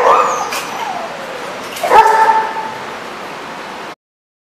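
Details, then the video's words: At The Barking Lot in RI, 1/31/14, a dog gives a short yelping bark, then after a sharp knock a drawn-out whining yip sliding downward, before the sound cuts off. "The Barking Lot"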